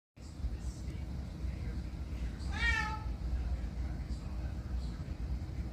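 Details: Cat giving a single short meow, falling in pitch with bright harmonics, midway through, against a steady rumbling low background noise.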